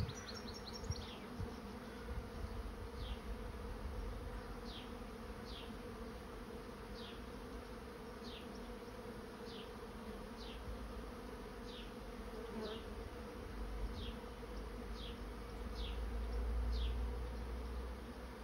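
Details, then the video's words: Honey bees moving as a swarm into a trap keep up a steady, droning low hum. Above it, a high downward-sliding note repeats about every second, and a low rumble rises near the end. "Bee swarm moving into trap"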